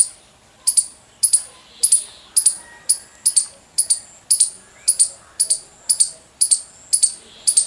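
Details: A squirrel gives a loud run of sharp, high chirps, each a clipped double note, repeated about twice a second at a steady pace over a quiet background.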